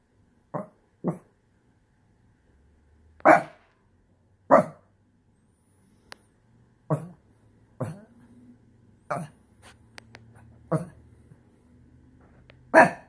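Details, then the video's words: Shih Tzu dog indoors throwing a tantrum, frustrated after losing its couch space: short sharp vocal bursts, some louder yelping cries, irregularly spaced over the clip with quiet gaps between. "Shih tzu throws tantrum...."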